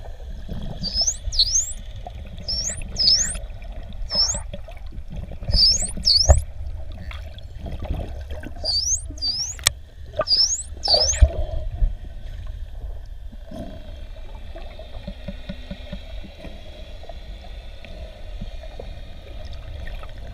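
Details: Wild coastal dolphins recorded underwater in the Ponta do Ouro Partial Marine Reserve, Mozambique: short, high whistles sweeping sharply upward, often in quick pairs, repeated through the first eleven seconds, with scattered clicks, a brief buzzing pulse train later and steady low water rumble.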